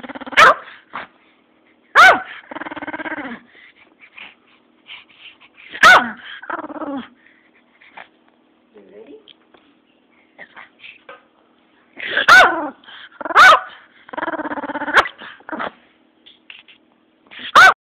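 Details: Pomeranian giving sharp, loud single barks at irregular intervals, some in quick pairs, mixed with drawn-out whiny, grumbling vocal sounds between them and quiet gaps with faint low murmurs.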